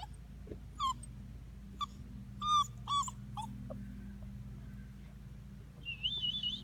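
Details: European basset hound pup, a female named Phil, at six and a half weeks old. Short, high, whimpering yips come in quick bursts, about five over four seconds, then a thin, wavering high whine near the end over a steady low hum.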